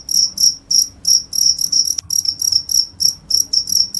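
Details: A cricket repeats quick high-pitched chirps, roughly three each second, slightly uneven in spacing, one brief click breaking the series midway; a soft low background hum.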